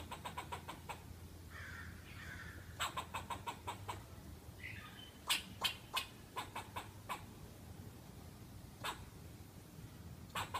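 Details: Squirrel giving sharp, dry clicking chucks in quick bursts of several notes, pausing between runs, with a couple of softer rasping sounds early on over a steady low hum.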